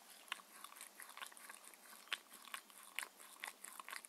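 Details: Mindy, a six-year-old Shetland Sheepdog, eating her daily raw-food dinner of chicken and beef indoors: crisp, irregular crunching and biting clicks, several per second, in a quiet room with no talking.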